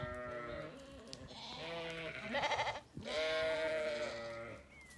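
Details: Ewes and lambs of the Zwartbles breed in an orchard on a regenerative farm in County Kilkenny, Ireland, on a sunny day; several overlapping wavering bleats, harmonic and nasal, one long call after another with brief gaps.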